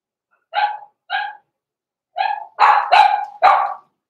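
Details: Blenheim Cavalier King Charles Spaniel puppies, born November 14, 2022, in the Red Barn Cavaliers puppy pen at Christmas time. Two clear, high, ringing barks come first, then four louder, rougher barks in quick succession.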